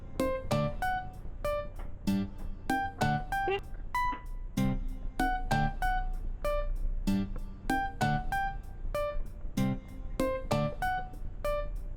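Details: Plucked guitar and keyboard music plays with steady rhythmic notes throughout, with no animal sounds.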